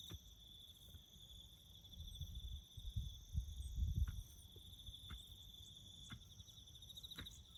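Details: Crickets chirp steadily around farm road-building work in the bush, an unbroken high pulsing trill with a faint higher one above it, while a low rumbling swells midway and scattered clicks occur.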